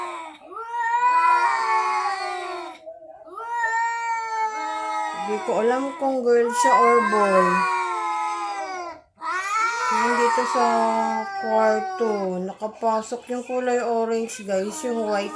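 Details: Visiting cat making a strange sound: long, drawn-out wavering yowls that rise and fall, given in several bursts separated by brief pauses, with music playing underneath.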